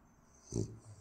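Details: French bulldog during a morning wake-up routine lets out a brief, deep, snuffling snort that swells and fades within a moment. Quiet indoor background.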